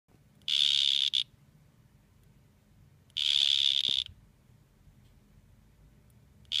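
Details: Two male dart frogs facing off; high, buzzy trilled bursts, each under a second long, repeated about every two and a half seconds, with a third beginning at the end, over quiet low background.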